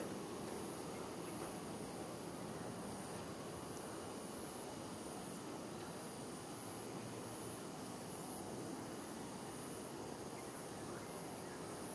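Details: Steady broadband rumble like distant traffic or engine noise, with no animal calls heard. A constant roar fills the whole clip without any distinct voice standing out.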